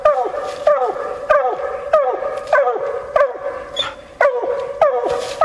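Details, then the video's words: Female bluetick hound on a coon hunt, giving rapid, evenly spaced chop barks, each a loud ringing note sliding downward, roughly every half second to second, with faint rustle behind. "Coon Hunting With A Bluetick Hound"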